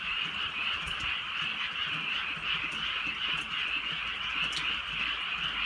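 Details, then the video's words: On a drizzly countryside night, a crowd of frogs keeps up a steady buzzing, trilled chorus, with occasional crisp drips of rain. "개구리 소리"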